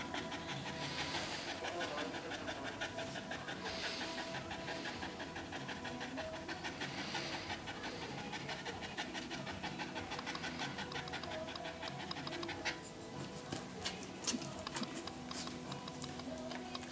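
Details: Panting from Rosie, a first-time red Staffordshire Bull Terrier whelping her first pup in a pen: rapid, rhythmic breathy puffs run on and on, with faint human voices and some clattering toward the end.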